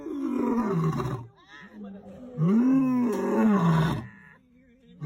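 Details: Lion on safari making deep, drawn-out moaning roars with arching pitch, two long bouts with a quieter gap between them.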